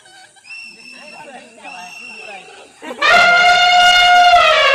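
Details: Elephants in a tea garden at Kathiyatoli Rengbang: after quiet chatter of voices, one loud, brassy trumpet blast starts and holds steady for nearly two seconds, rich in ringing overtones.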